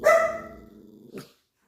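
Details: Dog on high alert during a short countryside stay gives one sharp, loud bark that trails into a low, fading rumble over about a second. A brief scuffling noise follows, and someone hushes the dogs just before.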